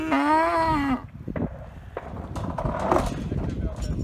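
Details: Galloway bull lowing while the bulls are moved to another meadow: one loud, drawn-out harmonic moo lasting about a second, followed by rustling, footsteps and handling noise outdoors.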